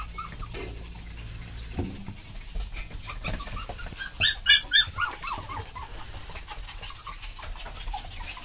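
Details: Excited adult dog and puppy, parent and young together, giving short high yips and whimpers around the middle, several quick rising cries close together, then scattered lighter squeaks over steady indoor background noise.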